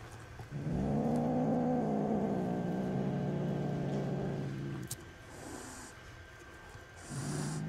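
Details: Angry kitten, one of five met with their mother, reacting to a person bringing food: a low, droning growl lasting about four seconds, then a couple of short, faint breathy hisses.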